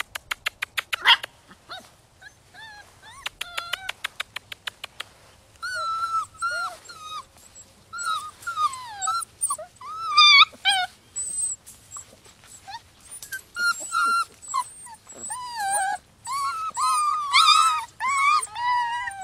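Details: Rescue puppies six weeks old, a litter of ten, whine and yip in a busy chorus of high, wavering squeals and rising-falling whimpers, preceded by a rapid run of sharp clicks and taps.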